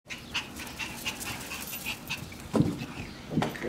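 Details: Three Shiba Inu puppies on the morning they leave for their new homes; two short low yelps near the end over a steady background hiss with faint, regular high chirps.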